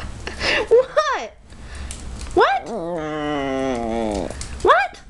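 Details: A Maltese dog 'talking' indoors while a person asks what it wants. There is a short rising-falling yowl, then a long wavering moan that slowly drops in pitch for about two seconds, then a final rising yowl. Questioning speech runs between the dog's sounds.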